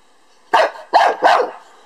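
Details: Lhasa Apso dog barking at a beetle; three loud, sharp barks in quick succession, the last two nearly joined.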